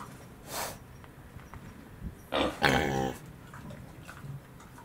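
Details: Miniature pigs Pin and Pan at Very Belly Farm Nishiwaki, Hyogo, Japan, on 9 November 2019. A brief breathy burst comes early, then a pair of rough, harsh grunts midway, over steady low background noise.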